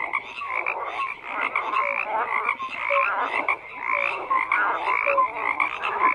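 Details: Many frogs calling at once, a buzzing, rattling wall of croaks punctuated by short high whistled blips every second or so.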